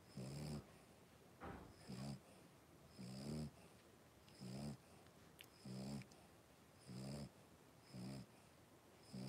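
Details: Five three-week-old blenheim Cavalier King Charles Spaniel puppies in an indoor puppy pen. Low, rough, harmonic grunting breaths come in short bursts about every 1.3 seconds, steady and snore-like, with a faint high hiss above them.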